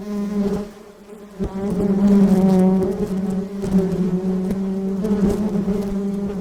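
Honey bees give a steady, low droning buzz with rich overtones, swelling and fading as they pass.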